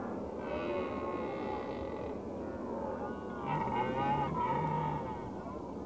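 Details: Red deer (Cervus elaphus) calling with a long, moaning bellow, followed after a pause by two shorter, deep, pulsing roars with a low rumbling undertone, all set against constant broadband background noise.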